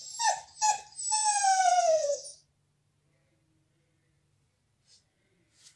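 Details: Bella, a pet dog, cries after being kept out of the salon while a visitor is there: two short yelps, then a long high whine sliding downward, followed by quiet.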